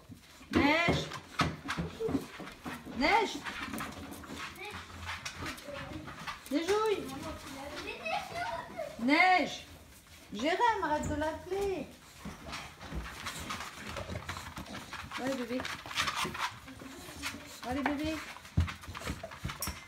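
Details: Staffordshire Bull Terrier puppies indoors giving repeated high, arched whimpers and whines in bursts, some overlapping, with French speech from people nearby and soft panting between calls.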